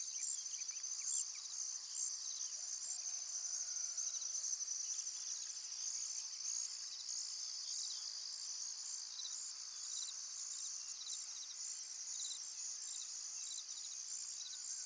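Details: Crickets at a calm pond give a dense, continuous, high shrill chorus of fast pulsing trills. Faint soft bird notes appear briefly early on.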